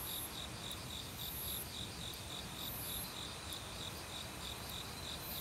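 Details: Autumn forest crickets chirp in rapid pulsed bursts, high and bright, alongside other insects with very high shimmering buzzes, all over the steady broadband rush of a mountain stream.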